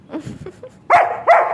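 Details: German Shepherd named Sheru, at play, lets out two loud, harsh barks about 0.4 seconds apart, following a stretch of faint, low murmuring sounds at the start.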